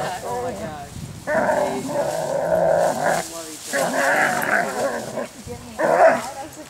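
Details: Two dogs, Skywalker and Woody, wrestling in play among leaves on a warm day in southwest Michigan; drawn-out whining, growl-like vocal bursts of one to two seconds, separated by short pauses, with people talking nearby.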